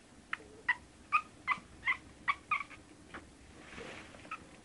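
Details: One-month-old Shih Tzu puppies giving a quick run of about eight short, high, squeaky yelps, roughly three per second, then fading to a soft rustle and one last faint squeak.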